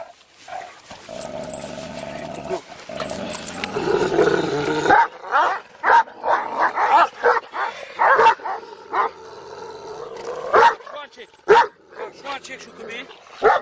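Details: Two large Kangal shepherd dogs bark in short, sharp bursts roughly once a second, irregularly spaced, after a few seconds of people talking in Turkish at the start.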